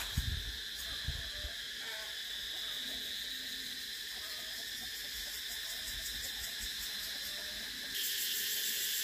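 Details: A shrill cicada chorus pulses rapidly and steadily, growing louder and harsher near the end. A few low thumps sound at the start and faint whistles come in between.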